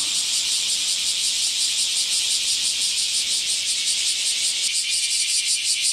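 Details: Chorus of bear cicadas on a hot July morning in 2018. The piercing, high-pitched drone throbs in rapid, slightly uneven pulses, many callers overlapping without pause.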